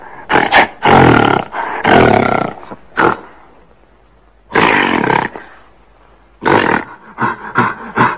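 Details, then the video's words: Gorilla giving harsh, broad, explosive roars in about six short bursts, some under a second and others over a second long, with a quiet pause of more than a second midway; no other clear sounds. "Suara GORILA"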